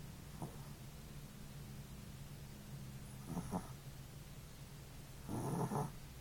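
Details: Energetic male Chihuahua puppy snoring while asleep indoors: a steady, quiet, low rumble runs throughout, broken by three short, louder breathy snorts near the start, the middle and the end.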